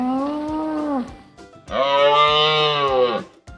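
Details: A moose (Alces alces) gives two long, nasal moaning calls, the second deeper and longer.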